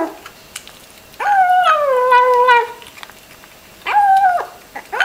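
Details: Cat or kitten meowing while eating: a long wavering drawn-out meow that slides downward, then after a pause a shorter flat meow with a sharp start and end, both clear against a quiet background.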